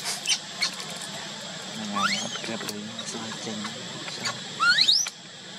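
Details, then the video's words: Crying of a baby monkey kept alone by its mother: scattered clicks and brief squeaks, then rising squealing cries near the middle and a loud sweeping upward squeal near the end, over a steady background hum. "Pity, cute baby monkey crying. why did Mommy Monkey keep baby crying alone"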